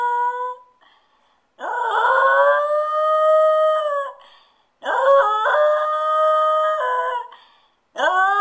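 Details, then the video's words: Stewart, a pet dog left alone, gives long mournful howls that rise at the start and hold steady for about two to three seconds, separated by short silences. "Never leave a dog alone"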